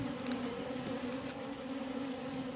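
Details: Dense, even buzzing of honey bees in an ailing hive in Humla, where bees have died: a strong low hum with a pulsing higher overtone, unbroken for the whole stretch.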